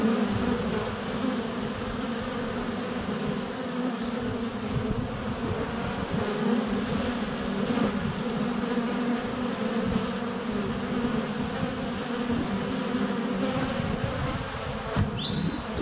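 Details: Many honey bees circling a hive entrance during sunny February weather, GoPro Hero 7 Black close up; an unbroken, even buzzing hum throughout, with a faint high chirp near the end, likely birdsong.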